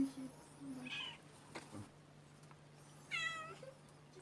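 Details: Stray street cat meowing: a short harmonic meow near the one-second mark, then a louder, wavering, drawn-out meow around three seconds, over a steady low hum and faint background noise.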